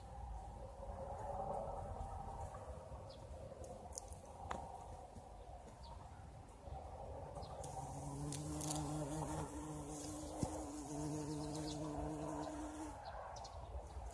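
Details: A bumblebee's deep, steady drone rises and falls in pitch as it moves about blossoming currant bushes in spring, over soft outdoor rustling and a few light clicks.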